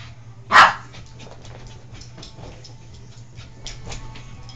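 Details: Oscar the dog, acting up and annoying his companion Abby, lets out one short loud bark near the start, followed by quiet room hum and faint scuffling.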